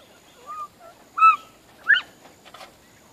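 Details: Georgia Giant bobwhites in a grow-out pen calling in the morning because they are hungry: a soft note, then two loud whistled calls half a second apart, the second rising, over faint background chirps.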